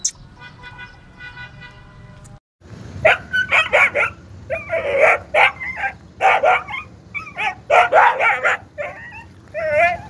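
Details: Kohati Gultair dog barking in quick runs of short, harsh bursts, a few with yelping, wavering tones near the end, preceded by about two seconds of steady sustained musical tones.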